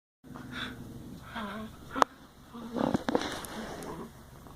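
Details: Dogs at play making weird noises likened to a Wookiee: short harmonic, groaning vocal bursts, one bending downward, then a sharp click and a cluster of throaty grumbles near the three-second mark.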